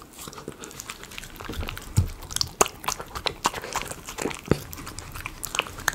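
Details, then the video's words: Miniature Schnauzer eating chicken pot pie premium dog food indoors in a small room, with irregular crunchy bites and wet chewing clicks scattered through the clip. "ASMR Miniature Schnauzer eating Chicken potpie"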